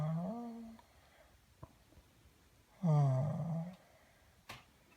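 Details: Pat, a pet dog, makes sounds indoors while asked where it hurts: two drawn-out, nasal, moaning whines, the first rising then steady, the second falling, with light clicks between.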